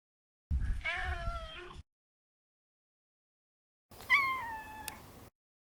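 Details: Male neutered Maine Coon cat kept indoors, giving two drawn-out meows about three seconds apart, each a harmonic, slightly falling wail lasting over a second, with soft low rustling under the first.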